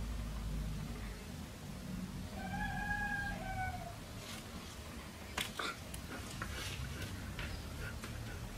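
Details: Red-coated Siberian husky puppies: a single drawn-out, slightly falling whine lasting about a second, heard over a steady low hum and followed by scattered clicks and knocks.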